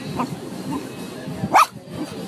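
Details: An American Cocker Spaniel gives one brief, high whine that rises and falls, begging for ayran (a yogurt drink).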